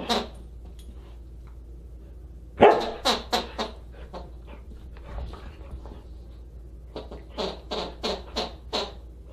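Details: Husky during a December 27, 2022 dinner party: one loud bark, then a burst of short yelps, a quieter gap, and a final run of five quick clipped barks.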